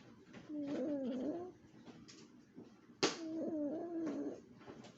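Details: A sleeping Chihuahua snores in two squeaky, wavering, whistle-like breaths about three seconds apart, with faint rustling between them.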